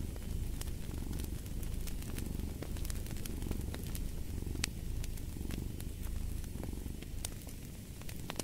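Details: Long stretch of relaxed cat purring, an even low throb in regular breathing waves, accompanied by frequent crackling and snapping of a wood fire.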